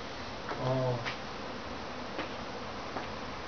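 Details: Backyard honey bee swarm: a dense, steady buzz of many bees, with a brief louder tonal hum in the first second, then an even drone with a few faint clicks.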